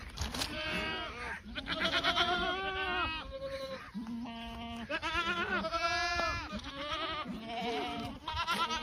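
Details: Several Boer goats on a farm bleat in overlapping succession, some calls low and steady, others higher, quavering and nasal, roughly one every few seconds without a fixed rhythm, over a background of shuffling and farm noise.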